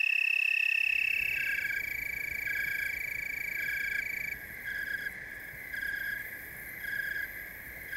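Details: Tree crickets chorusing in Oregon's Willamette Valley: a sustained high trill that breaks off after four seconds, then softer rhythmic pulses about once a second, all over a rushing background noise.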